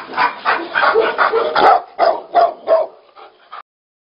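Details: Tibetan Mastiff fighting: a rapid burst of rough, growling barks, about three a second, harsh and broadband, tapering off before an abrupt stop.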